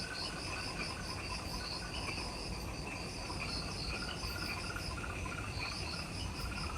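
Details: Dense insect chorus in the jungle forest at the Mt. Omoto trailhead, Ishigaki Island, Okinawa, Japan, just after sunset at twilight: steady, high, pulsing trills over low rumbling background noise; insects.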